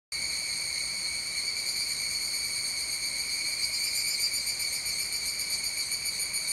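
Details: An evening cicada sings at 19:12 in the evening on Wednesday, 29 July 2020: a steady, high, ringing trill with a faint rapid pulsing throughout.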